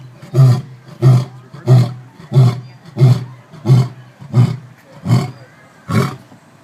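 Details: A lion at the San Diego Zoo gives a steady run of deep, grunting roars, each low huff following about every two-thirds of a second, after sneezing; its owner-visitor notes it roars to scare passers-by.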